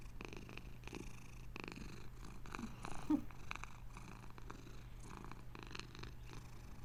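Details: Domestic cat giving a continuous deep purr, the rumble swelling and easing in a regular breathing rhythm, with a faint steady hum in the background and one brief soft rustle midway.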